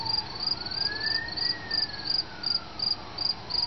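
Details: A cricket just released outdoors after being caught inside a house, trying to get back in: high pulsed chirps about three per second, with a rising-then-falling siren-like tone through the background.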